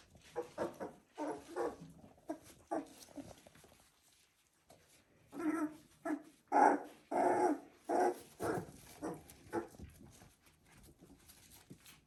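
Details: Three-week-old Border Collie puppies giving clustered short yelps and whines, a quick patter of calls, a silent gap of about a second, then louder, longer whining bursts toward the end.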